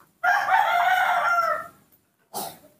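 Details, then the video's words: Baby monkey, hand-reared by a person, refusing bananas and crying for milk: one long, loud, tonal wail lasting about a second and a half, fairly steady then fading, followed after a pause by a short second cry. "Not wanting bananas, the baby monkey Nomi makes a sweet call asking for milk"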